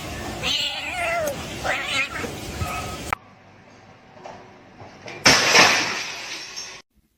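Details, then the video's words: Cat fight between domestic cats: rough, wavering growling yowls over noisy background, a brief lull, then a sudden loud, breathy hiss. "Cat Fight"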